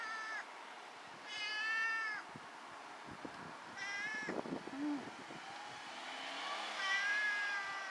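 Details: Black pet cat recorded 22 October 2013, giving four drawn-out, clear meows across eight seconds, some rising then falling, with soft clatter and rustling between calls.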